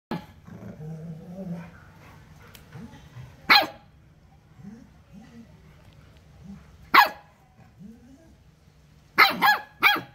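A Rottweiler puppy gives sharp, high barks between low grumbling growls.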